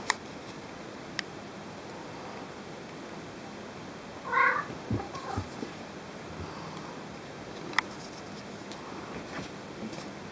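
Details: Pet cat meowing to request toys: a single clear, slightly wavering meow near the middle, followed by soft rustles and small clicks in an otherwise quiet room.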